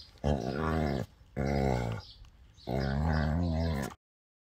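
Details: Growling from a dog during physical contact between Labrador Beertje, a female over 12 years old, and two-year-old German Shorthaired Pointer Dakota. Three rough, rumbling growls, each about a second long, separated by short pauses, then silence.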